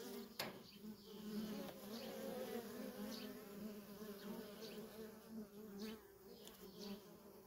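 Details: Honey bee workers at a wild feral colony make a continuous humming drone, individual bees whizzing close at irregular moments, with a sharp click near the start.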